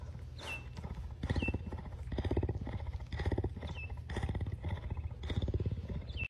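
A cougar purrs in a deep, rumbling, pulsing drone that swells and fades with each breath.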